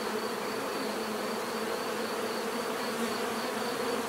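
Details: Natural buzzing of bees: a dense, continuous low hum with steady droning tones, unbroken for the whole stretch, with a faint, pulsing high whine running over it.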